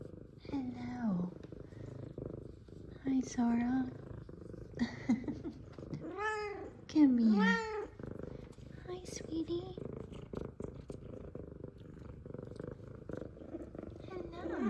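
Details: Two F2 Savannah cats happy to see their owner, one meowing and one purring. A few drawn-out arched meows over a low continuous purring rumble, with a woman talking to the cats.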